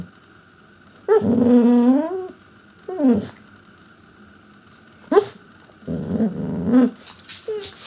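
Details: A male Pembroke Welsh Corgi 'talks' in drawn-out, wavering grumbles and whines, trying to get his owners' attention.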